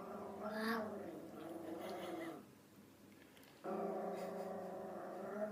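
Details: A female pet dog gives a drawn-out, tonal growl that briefly fades, then resumes louder and steadier, rumbling with a slightly whiny, layered quality in a quiet room.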